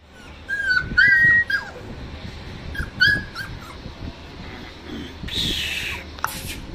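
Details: Female Cane Corso puppy giving a few short, high, thin whines with bent, wavering pitch in the first three seconds, then quieter shuffling and a brief hissing noise toward the end.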